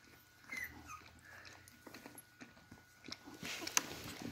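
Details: A litter of Beagle puppies tries its first steps toward their mother for food; one short high whistle-like squeak early on, followed by rustling and scratching movement sounds and a brief bright click near the end, with a constant low hum.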